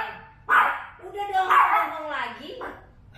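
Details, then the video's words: Worked-up female Chihuahua barking again at visitors at home, a short series of sharp barks and a whining yelp, with people talking nearby. "Dia menggonggong lagi."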